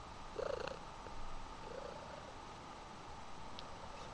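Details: Mother cat, once a feral street cat adopted while pregnant, hugging her kitten indoors; a soft, low continuous purr rumbles throughout, with a brief faint higher murmur near the start.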